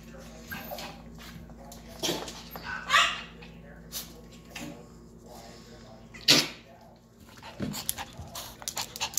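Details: Yorkshire Terrier puppies, one of two babies of Vern, a silkie coat Yorkie, give a short high harmonic yelp near the three-second mark between scuffles, sharp knocks and faint human voices.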